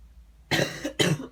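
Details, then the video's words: A female cat, indoors at home in the morning, unhappy about a neighbour cat in her garden, gives two harsh, broadband bursts, each about half a second long, like coughing hisses, with a short gap between them. "Cat doesn't like the neighbour cat. FUNNY WEIRD CAT NOISES!!"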